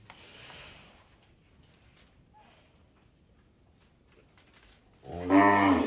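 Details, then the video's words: Cow on an Indian dairy farm: a quiet stretch of faint farm background gives way near the end to a sudden loud, deep, harmonic-rich moo that continues to the cut. "Cow Moor"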